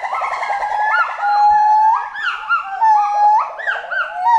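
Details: Forest monkey with overlapping voices: a warbling trill slides into a sustained whistle, followed by repeated swooping notes that rise and fall about twice a second, loud and clear.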